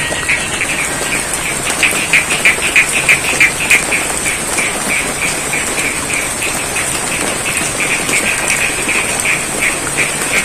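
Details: Frogs in an East Java rice paddy during rain, sending out a brisk train of short croaks near three per second, loudest in the first seconds then steady, over hissing rainfall and a persistent high drone.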